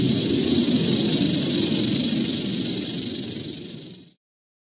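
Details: Eastern diamondback rattlesnake (Crotalus adamanteus) found in Central Florida, recorded with a Panasonic Lumix FZ300 and GoPro Hero 8 Black; a dense, steady buzzing rattle runs for about four seconds, fading slightly before stopping abruptly.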